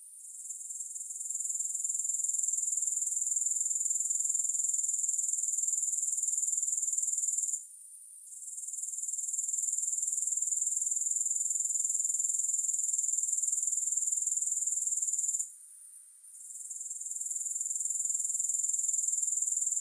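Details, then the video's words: Grasshoppers make a high, hissing insect buzz in long unbroken stretches of about seven seconds, each cut by a brief silent gap before the steady whirring resumes; no music or other sounds. "Grass Hopper Sounds"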